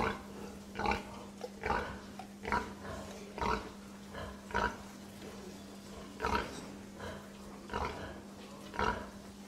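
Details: Domestic pig giving short, rough grunts about once a second, each a brief broadband burst with a low steady hum running underneath throughout.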